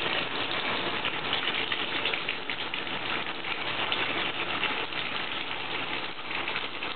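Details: Steady rushing, rain-like water noise with faint rattling runs through the whole stretch; no animal voice stands out.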